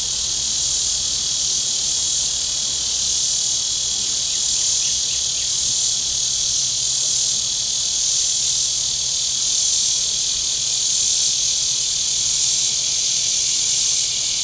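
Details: A loud, unbroken high-pitched cicada drone from the shore of Table Rock Lake in southern Missouri on a very warm day, pulsing slightly in intensity, with only a faint low hum underneath.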